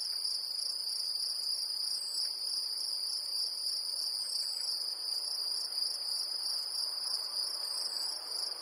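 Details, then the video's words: Great green bush-cricket singing in Brittany, France: a continuous shrill, sizzling buzz that never pauses, steady in pitch and loudness, over a faint quiet background. "Sauterelle verte en Bretagne"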